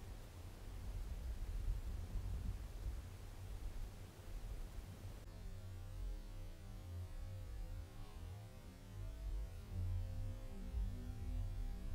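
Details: Only a low rumbling hum and broadband hiss are heard, with no animal voice. The noise shifts in character partway through but stays steady and featureless.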